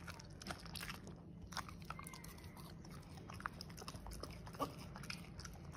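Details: Corgi chewing on a piece of steak indoors, a run of moist smacking bites and crunches, some louder snaps near the end, against a low steady background hum.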